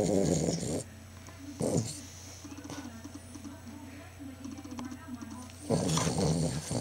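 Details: Sleeping Cavalier King Charles Spaniel, a pet dog snoring very loudly: three loud, rasping, broadband snore bursts, at the start, near 1.7 seconds and from 5.7 seconds to the end. A steady low hum and a quieter wavering drone run between them.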